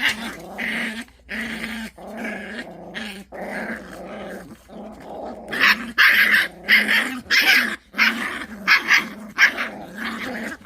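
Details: Pungsan dogs in a rank fight. Steady pulsing growls give way to loud, rapid, choppy snarls and yelps, repeated roughly every half second in the second half.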